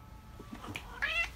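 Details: Maine Coon cat's short meow closing the clip, preceded by a woman's French speech remarking she has no more ham; indoor room.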